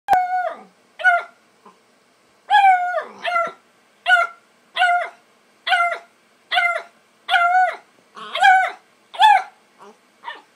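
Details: Bluetick Coonhound puppy playing with a kitty cat on the porch; high, bright yelping barks with strong ringing overtones, about a dozen short bursts roughly every half second to second, with brief pauses between groups.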